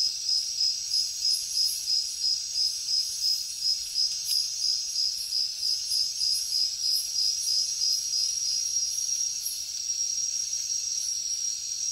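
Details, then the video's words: Cricket chirping at night in the jungle: a steady high trill of rapid pulses, about three per second, over a dense insect chorus with faint higher shimmering tones. "Insects sounds | Cricket sounds |Jungle night"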